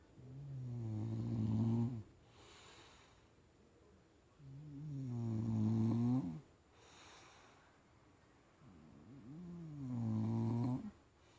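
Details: Soundly sleeping bulldog gives three regular snores roughly every four and a half seconds, each a low, vibrating, slightly rising rumble about two seconds long, with quiet breaths between.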